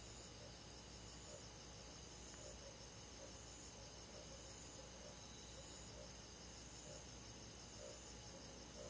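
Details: Summer-night insect chorus in the forest, crickets among them, a continuous high-pitched ringing trill with faint rhythmic low throbs roughly every second and no other sounds intruding.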